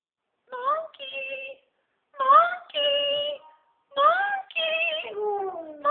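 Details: A dog howls at a monkey in three drawn-out, wavering bursts separated by short pauses.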